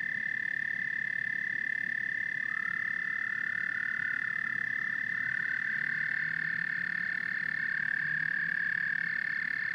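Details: Frogs and toads calling together in a dense chorus: a steady high trill holds at one pitch throughout, with a fainter rising whistle-like band near the middle and soft low croaks underneath. The sound runs continuously without a pause.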